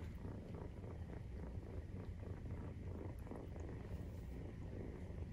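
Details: Nursing-time purr of a Maine Coon cat, the kittens 43 days old; low, evenly throbbing vibration held without pause, a faint tick at the very end.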